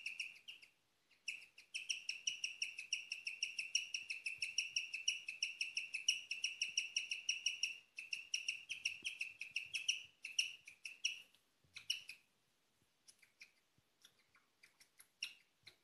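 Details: Nighttime chirping from a female pet guinea pig, a sound seldom heard: long bursts of rapid, high, twittering chirps that break off in pauses, resume, then dwindle to scattered single notes toward the end.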